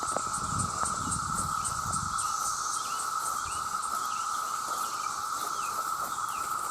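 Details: Millions of male cicadas call for mates, an intensely loud chorus: a constant mid-pitched hum beneath a brighter, rapidly throbbing high buzz, with some low rustling early on.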